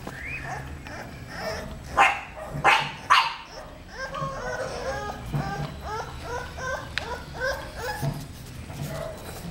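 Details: Female English Bulldog puppy, 35 days old, born at the Labonnevie kennel, granddaughter of two-time world champion Draco Malfoy; a few short, sharp barks come early, followed by a quick run of high, whiny yelps repeated about twice a second.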